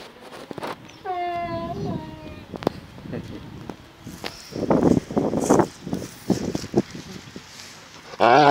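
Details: Enzo the Akita makes funny sounds: a clear high whine bending downward opens, followed by rough, low grumbling bursts and a loud noisy burst at the very end.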